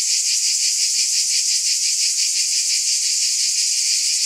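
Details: High continuous whirring of cicadas with a gentle, fairly regular beat in the tone, level and uninterrupted.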